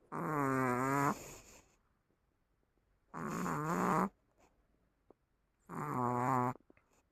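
A Chihuahua snores in loud, buzzy rasps about a second long, repeating every two to three seconds.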